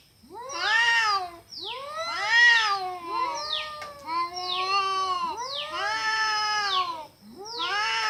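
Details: Cats fighting with a horrible sound: rapid overlapping caterwauls, harsh arched howls and sliding wails coming about every second, nearly unbroken for eight seconds.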